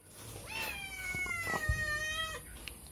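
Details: Cat begging for food while passing by the side of a house: one long drawn-out meow with rich harmonics, rising briefly then holding steady and slowly falling over about two seconds, faint background noise.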